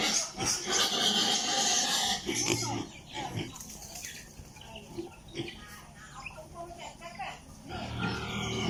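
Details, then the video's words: Piglets on a pig farm, apparently in Italy, squeal loudly and harshly at first. Quieter scattered grunts and squeaks follow, then the squealing rises again near the end. "Sound of piglets in pig farm"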